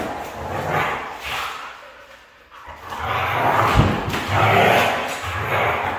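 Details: Vocal outbursts from a red female Siberian husky: a short moan, a quiet pause, then longer, louder, wavering calls with low rumbling underneath, with a sharp knock partway through.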